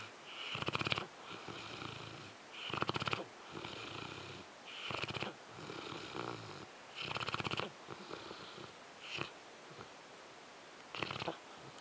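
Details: French Mastiff named Zues sleeping and snoring. Harsh, vibrating inhalations come about every two seconds, each a gritty rattle with a brief hissing fade, interspersed with softer breathy exhales.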